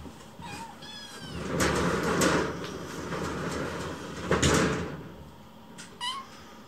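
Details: Rescued baby kittens, hungry and circling their keeper at mealtime, give short high harmonic mews at the start and end, between loud cupboard and sliding-door clatter indoors.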